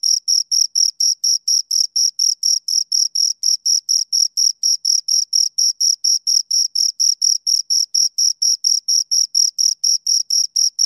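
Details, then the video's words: Pair of crickets giving a long, unbroken run of shrill chirps, about four pulses per second in a very even rhythm, each a short rasping note with a faint higher ring, no other sounds. "Two Crickets Chirp Sounds"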